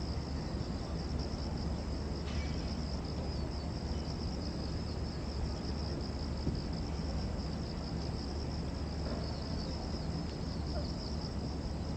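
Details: Cicadas at Gwanggyo Lake Park, Korea, on 8 September 2021 give a continuous, thin, even, high-pitched buzz without pause over a heavy low rumble like distant traffic or wind. Finding: cicada.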